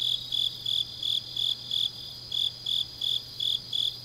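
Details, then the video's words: Autumn night grass insects in Changnyeong, Korea, singing in short high pulses, roughly three per second, evenly spaced and ringing, over a faint background buzz of other insects and a low constant hum. "깊은밤 가을 풀벌레 소리"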